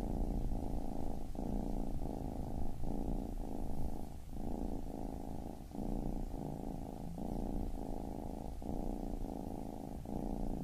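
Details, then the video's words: Steady low purring from a baby kitten, rhythmic rumbling phases alternating with short pauses about every 0.7 seconds, continuous and even throughout. "Baby Kitten Purring"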